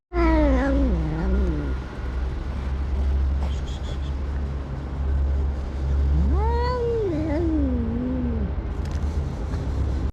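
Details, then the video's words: Domestic cat giving an odd, unusual cry: two long wavering yowls, the first falling and dipping over about two seconds, the second rising then bending down after a pause, over a constant low rumbling hum. "This Cat Makes a Weird Sound"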